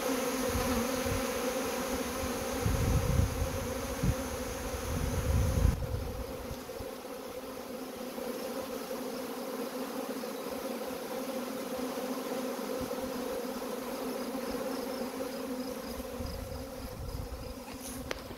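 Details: Honey bee swarm during collection: a steady droning hum, with low rumbling handling noise in the first seconds that eases into a smooth, even buzz.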